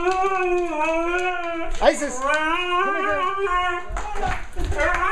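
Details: Siberian Husky, the talker of two, excitedly wooing at owners home from vacation, indoors; long sustained harmonic moan wavering gently, then sliding woo phrases, with brief human speech.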